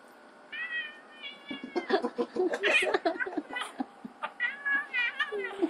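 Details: Ziggy and Chino, two house cats, fighting: a few short wavering mews, then a dense jumble of overlapping yowls and scuffling bursts, with whining harmonic cries returning near the end and a person's voice briefly heard.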